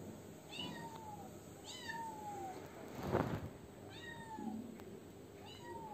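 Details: Kitten indoors meowing into a washing machine it wanted opened, with Meimei present. Four drawn-out, downward-sliding meows a second or so apart, a dull thump in the middle, and a constant electrical hum behind.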